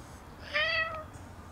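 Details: Single short, level meow from a stray black cat nuzzling a shrine visitor, lasting about half a second against faint background noise.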